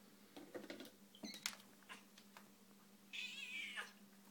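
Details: Elderly 26-year-old cat meowing loudly indoors while waiting for tuna as another cat is served first; one drawn-out meow near the end, after clattering of dishes and a person talking.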